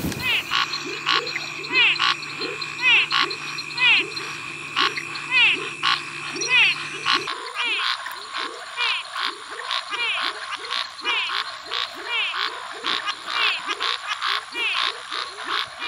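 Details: Brazilian frogs in a dense calling chorus: rapid, rhythmic croaking pulses repeated several times a second, overlapping high, steady trilling tones, with a low steady hum during the first half.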